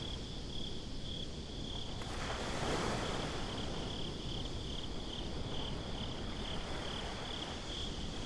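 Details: Crickets chirping at night on a beach, recorded binaurally: a steady, high, finely pulsed trill runs unbroken under a constant low rumble of wind and distant surf, with a soft swell of noise near the third second.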